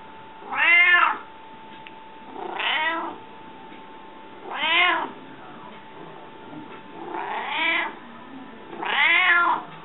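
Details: Pet cat, described as hungry, giving five drawn-out meows roughly every two seconds, each rising and falling in pitch, some louder than others, over a constant low hum in a quiet room.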